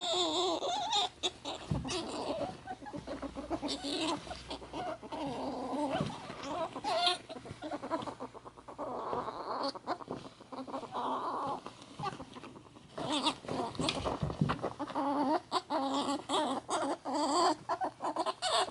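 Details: Two pet ferrets, Ann (sable) and Kohaku (cinnamon), wrestling hard after Kohaku's bath, filmed 11 May 2014; soft clucking chatter comes in bursts among thumps, scuffling and rustling.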